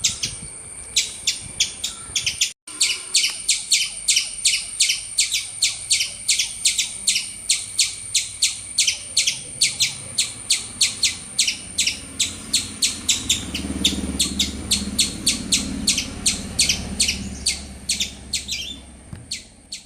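A squirrel gives loud, sharp chirps in a steady run, about three each second.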